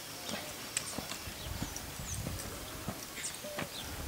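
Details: Purebred Lusitano stallion, nine years old and 1.72 m tall, at a stud; scattered dull hoof thuds and clops with faint high bird chirps and a quiet background.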